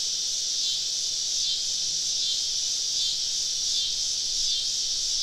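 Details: Summer evening cicadas surrounding a campsite deep in southern woods: a thick, continuous high hiss with slight surges and fades, no other sounds standing out.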